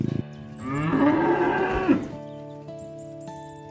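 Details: A cow being herded to the livestock barn gives a single long, rich moo that swells and wavers before cutting off, over steady background music.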